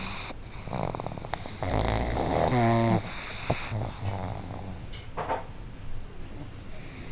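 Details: A pair of pugs sharing one home snore together. Irregular low rumbles build toward a louder, wavering snore near the middle, then give way to scattered, quieter snuffles.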